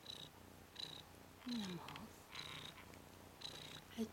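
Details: Ten-day-old Ragdoll tomcat kitten, red/cream colourpoint, rolling about on its back; a series of short high-pitched squeaks repeated roughly every second, with a low human voice murmuring in between.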